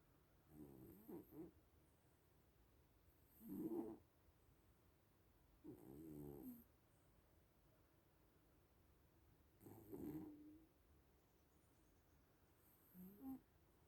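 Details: Sleeping little cats snoring indoors: five soft, rasping breaths with a wavering low buzz, spaced roughly every three seconds, with quiet pauses between.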